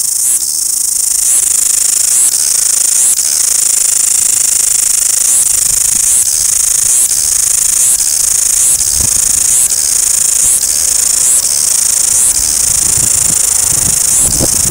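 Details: Noisy cicadas in Wellington, New Zealand: a dense, unbroken high-pitched buzzing chorus that swells in regular pulses roughly every second, with faint low rumbles underneath.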